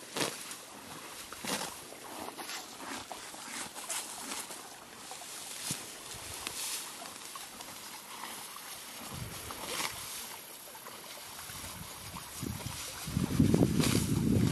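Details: Green grass being cropped and chewed by Billy, a horse, at a creek: irregular crunchy snaps over a flowing-water hiss, with a louder low rumble building at the very end.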